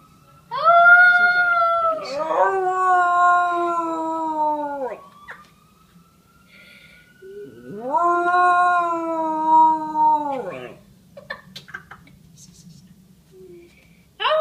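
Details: Pet dog howling in response to a police siren: two long, wavering, harmonic howls, each dropping slightly and lasting about three seconds, with the faint rising siren tone heard between them.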